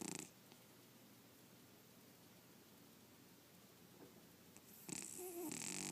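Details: Snoozing cat Red gives a short raspy snore at the start and another harsher snore near the end, with a quiet stretch of soft breathing between, indoors.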